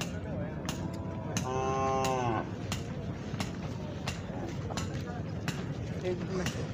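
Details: Khillar cattle at the Pandharpur Kartiki Vari cattle market: a single drawn-out, resonant moo lasting about a second, with crowd murmur and sharp clicks in the background.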